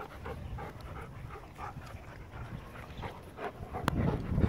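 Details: Farfel the Goldendoodle at play with his cousin Utley, a Bernese Mountain Dog; quick, rough breathy pants repeating roughly three per second, ending in a louder scuffling burst.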